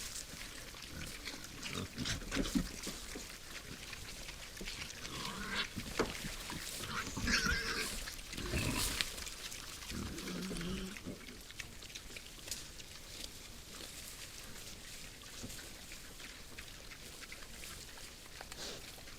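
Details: Nighttime wild boars at a woodland feeder, giving a steady run of low, rough grunts and snuffling noises, with rustling and crunching as they forage and occasional broader noisy bursts.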